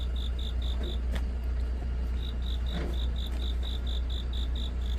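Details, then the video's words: Cricket calling on an autumn night, giving a run of bright, high chirps about four per second that pause briefly and resume, over a constant low rumbling hum with faint clicks. "깊어가는 가을밤 🦗귀뚜라미🦗 우는소리"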